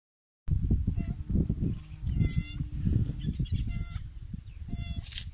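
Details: A young wild steenbok in grassland gives short, thin nasal bleats over a heavy low rumble of wind or handling noise.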